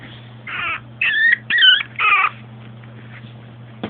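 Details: Long Coat Chihuahua, female, born 2010, filmed in an everyday home scene: four short whimpering cries in a cluster, some squeaky and looping in pitch, over a constant low hum, then quiet.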